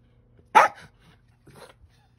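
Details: Pablo, a Bichon Frise and Cairn Terrier cross, chasing a fly gives a single loud, sharp bark, then a faint softer yap about a second later over a low steady hum.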